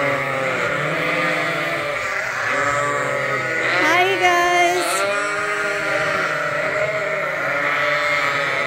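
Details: Bottle-fed lambs at Ewetopia Farms, still with their mothers but topped up twice daily from a hand-made bottle feeder. Several lambs bleat continuously and overlap, with wavering harmonic cries and one louder, rising bleat near the middle.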